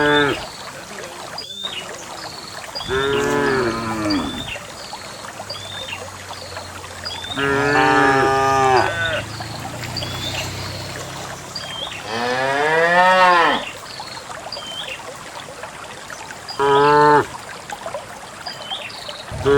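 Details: Cows in a herd of dozens walking through wild grass toward a green valley in the morning; four or five drawn-out moos, some rising and falling in pitch, roughly every four seconds, with scattered bird chirps.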